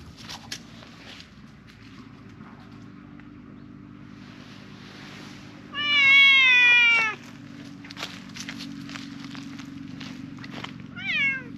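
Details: Loud appeal from a silver tabby park cat: one strong, wavering meow lasting over a second, then a short, sharply falling mew near the end, amid quiet ticking and a steady low hum.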